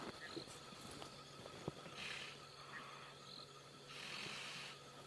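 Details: An African buffalo, held by the nose by a hunting lioness after dark, breathes in laboured, gurgling rasps as blood flows into its lungs, each under a second, repeating about every two seconds over low engine hum.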